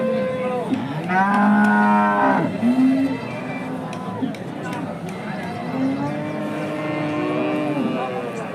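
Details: Indian Hallikar cattle at a temple cow market: a loud, resonant moo rising then dropping, a short follow-up low, and later a long, wavering moo, with distant chatter behind.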